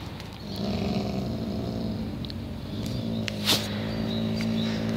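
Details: Zara, a she-wolf at the "Spasi Menya" wild animal shelter of an animal protection fund, growls in a low, steady rumble with layered deep tones lasting the full five seconds, broken briefly by a sharp scraping noise midway.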